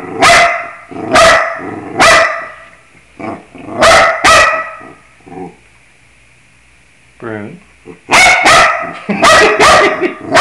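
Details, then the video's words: A dog singing along to the scales: loud, sharp barks in pairs and clusters, a short falling whine partway through, then another quick run of barks. "Bruno singing the scales"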